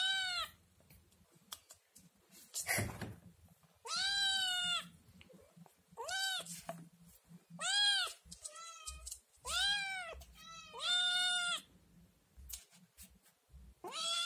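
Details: A young Scottish Fold kitten, still nursing, meows loudly and repeatedly, yelling to ask for food after seeing yogurt.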